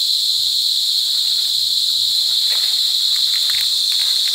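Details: Cicadas calling to mate in La Carlota City, Negros Occidental, at Sitio Bagumbayan, Brgy. Balabag, on July 18, 2020: an intense, constant high whine with layered overtones. Brief faint flickers of sound appear in the second half.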